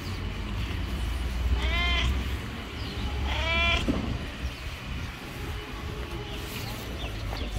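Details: Yellow stray cat on the street seeming to want to tell something: two short meows about one and a half seconds apart, each with a slightly arched pitch, over steady low rumbling traffic-like background noise.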